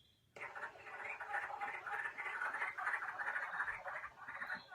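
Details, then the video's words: Wood frogs in Minnesota chorus in early spring, one of the first frogs heard then, with rapid duck-like clucking chuckles running into a steady chatter, likened to town gossip run through a synthesizer. "So, in early spring, one of the first frogs you can hear is the wood frog. If you listen, it's right behind me,"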